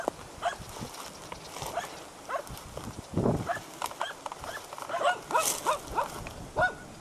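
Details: At Salas on 8 September 2012, hunting dogs bark at a dead deer: irregular, clustered barks mixed with loud rustling and brushing noises.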